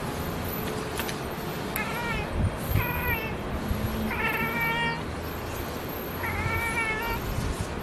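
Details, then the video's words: A black and white cat spots a distant pigeon and makes four quick bursts of stuttering, trilled chirps, each a rapid run of clipped notes, over a low background rumble. "cat calling birds - chirping sound"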